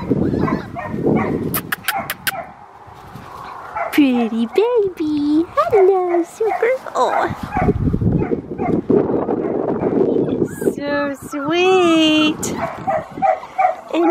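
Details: Blue merle male Australian Shepherd puppy, four and a half weeks old, son of Matilda and Jackson: talking dominates the opening, then long tonal whines rise and fall, recurring near the end between voices and bumps.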